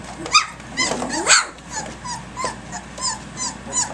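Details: Early-morning play among Egypt's three-week-old pups, 10.12.2011: a loud falling-and-rising squeal and sharp yips open, then softer high chirpy yelps repeat about twice a second.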